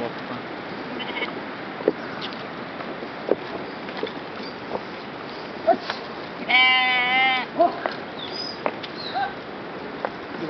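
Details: Sheep with people nearby: one clear wavering bleat lasting about a second, rich in stacked harmonics and slightly quavering, amid faint scattered knocks and low background hiss.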